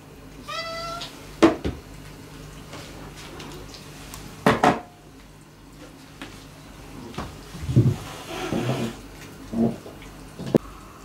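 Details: Former stray cat Mame-chan, female, making her approach to the household's resident cats: a single short, clear meow near the start, followed by scattered knocks and bumps indoors.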